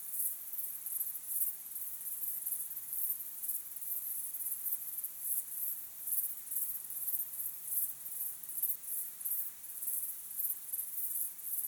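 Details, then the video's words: Evening chorus of crickets at sunset: continuous high-pitched trilling broken into quick rhythmic pulses, several per second, steady throughout over faint background hiss. "Calm, beautiful sunset sky with crickets chirping sound"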